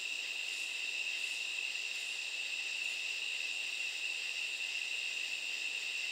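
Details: Katydids heard at night, a dense, even, high ringing buzz, with three or four soft, hissy pulses in the first three seconds.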